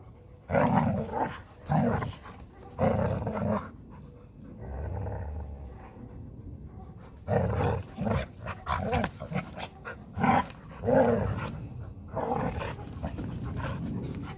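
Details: Two dogs, a Labrador Retriever and a Hungarian Vizsla named Málna and Ede, wrestling over a ball; clusters of short, gruff growls and grunts early and late, with a low quieter rumble and scuffling in between.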